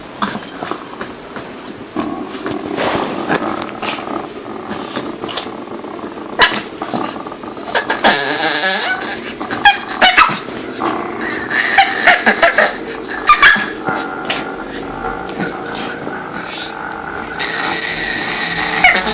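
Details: A roughly 10-12-year-old dog, provoked, gives a run of odd, strained whines, grumbles and yelps, with rising squeaky bursts.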